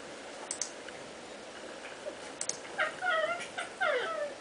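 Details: Domestic cats play fighting indoors; after quiet scuffling and a few soft taps, two drawn-out meowing cries with falling pitch arrive in the last second and a half.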